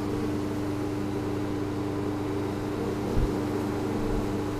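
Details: Spring 2013 honeybee colony, hive freshly cleaned and relocated after overwintering, captured with a GoPro Hero3; a dense, unbroken low buzzing drone with a constant humming tone and a single soft knock late in the recording.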